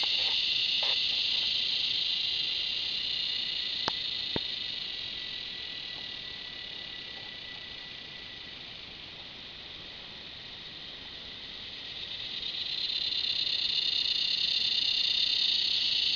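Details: Cicada near a red bull ant, shrill unbroken droning that slowly fades in the middle then surges back louder, a couple of sharp clicks early on.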